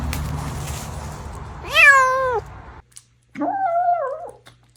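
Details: Pet cat meowing twice indoors: a first loud, wavering meow that dips and bends, then a pause and a second flatter, slightly lower meow with a rising start.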